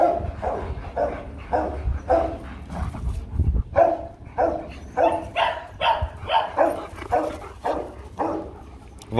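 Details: Two Rottweilers, Loki and Siro, mating while a litter is hoped for in 2021; a steady run of strained, mid-pitched yelps and whimpers repeats about twice a second over a low rumbling background.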